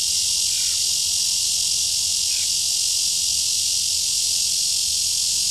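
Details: At Shezi artificial wetland on 2 July 2016, a red-veined bear cicada gives a continuous shrill buzzing drone at even loudness for the whole stretch, with faint chirps barely audible beneath.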